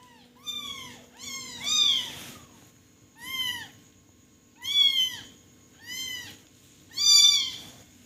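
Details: Kitten crying in clear, high meows that rise and fall, several in quick pairs, about every one to one and a half seconds, in a quiet room with a faint steady hum.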